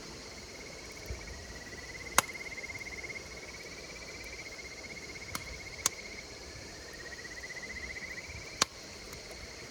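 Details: Insects calling beside a campfire: a continuous fast pulsed trill, gently rising and falling in pitch, with a fainter high steady whine above and occasional sharp pops and crackles from the fire.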